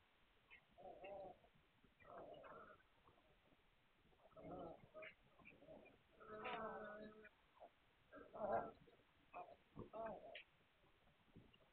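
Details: Hungarian Vizsla puppies recorded on 9 March 2021, giving low, tonal whines and grunts in short bursts roughly every second or two, with a louder drawn-out cry near the middle.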